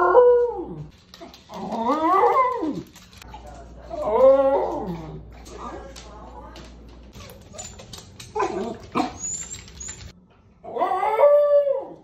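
A corgi gives drawn-out, wavering yowls that bend up and down in pitch, about every two seconds.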